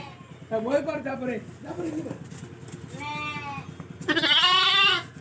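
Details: Lambs offered for sale, with overlapping voices and low hum, break into a drawn-out tremulous bleat followed by a louder, higher, strained cry at the end.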